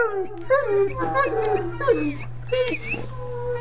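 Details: Buckley, a dog learning to howl, gives wavering mid-pitched howls that slide up and down in short broken phrases, with a steady low hum underneath.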